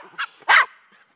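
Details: Daisy and Rose, Miniature Pinscher and Rat Terrier mixes, during a game of fetch on April 30: a short yip followed by one loud, full bark, then quiet.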